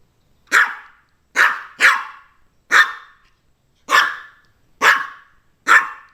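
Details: Maltese barking in a quick series of seven short, sharp barks, two nearly back to back, others about a second apart, over a quiet background.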